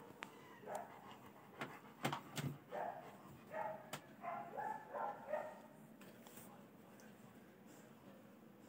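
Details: Puppy crying outside a home: a run of short, high, tonal whimpers repeated roughly twice a second for several seconds, with sharp clicks and knocks in the room around them.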